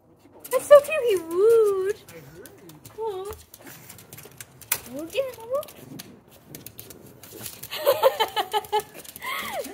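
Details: A male rescue Pekingese makes wavering, moaning growls of happy excitement on seeing his owner return home, while a person coos and laughs nearby.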